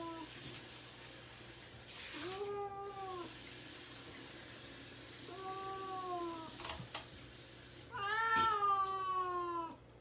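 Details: Caged pet cat Mamedaifuku, fasting before neutering surgery and wanting out, gives three drawn-out, slightly falling meows about three seconds apart, the last loudest, in a quiet room with a steady low hum.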